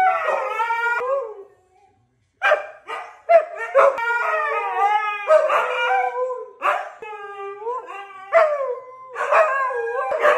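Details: Two Siberian Husky brothers howl and 'talk' in a series of wavering, bending howls broken by short yips and gaps, voices overlapping and sliding up and down over about ten seconds.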